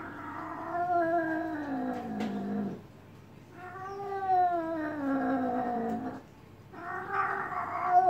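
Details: Cat in heat receiving a massage gives loud, long yowls lasting two to three seconds each, rising then sliding down in pitch, three calls separated by brief silences.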